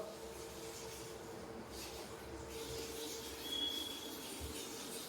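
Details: A steady rumble of a rolling train with a brief high squeal of wheels is heard, and no animal calls.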